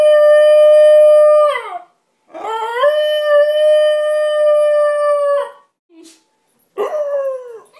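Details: A female basenji gives long, steady, tonal howls that sag downward at the end while her owner is away; a person howls back to encourage her.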